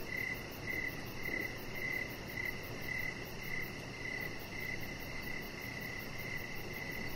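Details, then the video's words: Evening crickets near a deck lit with decoration lights, with a chihuahua puppy named Rocket lying nearby. High chirps pulse about twice per second, evenly spaced, above a steady rushing background noise. "Cricket Sounds"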